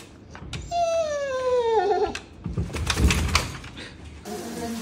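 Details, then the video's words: A husky howling during a bath gives one drawn-out, harmonic howl lasting about a second that slides steadily downward. It is followed by rushing, splashy noise and muffled background sounds. "Husky Singing during Bath"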